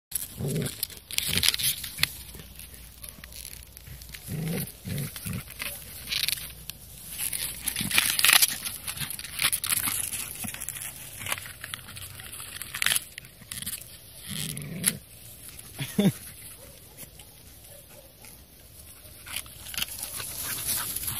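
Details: Two American Staffordshire Terriers named Clint and Maza having fun together; rough play growls, snorts and grunting bursts come in irregular clusters, mixed with rustling, crinkling and scuffling noises throughout.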